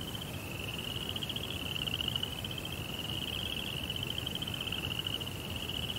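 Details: Crickets at night in a Zen garden near a koi pond produce one unbroken, shimmering high trill of rapid pulses, steady in pitch, over a quiet low hum.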